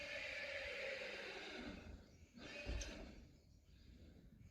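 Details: Friesian horse whinnying as a herd of eight is brought together on pasture, April 20, 2019: a long, strong harmonic neigh for nearly two seconds, fading out, then a thump and quieter rustling.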